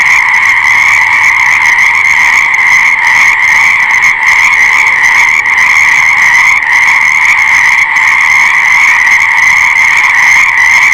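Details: Many frogs calling together in a loud, seamless chorus; a bright, buzzing trill dominates, with brief slight dips in the massed sound but no silence.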